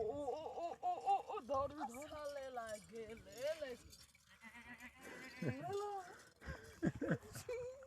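Goats bleat in loud, wavering, voice-like cries that quaver up and down.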